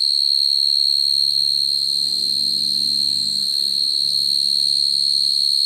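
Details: Field cricket singing naturally at night to call females, recorded for use in cricket trapping: a continuous, piercing, even-pitched trill that never pauses, over a soft low hum in the background.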